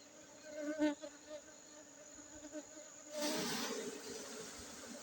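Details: Aceh honey bees humming in a steady, even drone with a higher overtone, with a short knock early on; a loud hissing rustle takes over during the last two seconds.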